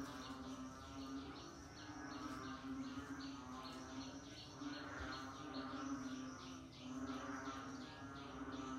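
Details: Frog heard in the rainy season giving softer, evenly repeated high notes that each drop slightly in pitch, half buried in a dense chorus with a steady low hum underneath.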